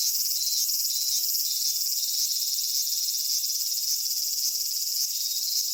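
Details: Summer cicada chorus recorded at Michinoku Folk Village and Kitakami Tenshochi in Kitakami, Japan. The shrill, continuous high buzz carries a loose pulsing, roughly two beats per second, over an unbroken hissing background.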